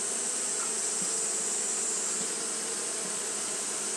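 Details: Continuous fanning by Japanese honey bees during hot weather: an unbroken insect drone, low hum bands beneath a steady sharp hiss, with faint flickers of individual wingbeats passing close.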